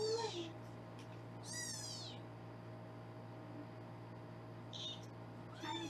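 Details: Foster kittens at a Los Angeles kitten cam room, being weighed, let out a loud high mew near the start, a strong stacked mew around two seconds and another at the end, with steady hum behind.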